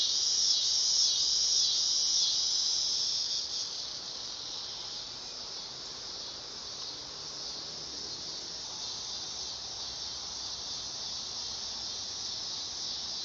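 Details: Dog-day cicada singing on a summer night: a loud, continuous high buzzing drone that is strongest in the first few seconds, then softens and holds steady at a lower level.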